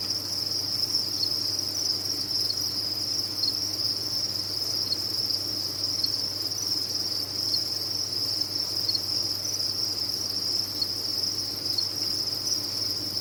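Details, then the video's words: A cricket farm's many insects keep up an even, high shrill trilling chorus without pause, pitch unchanging, while a gentle low hum runs in the background. "Sound of a Cricket Farm"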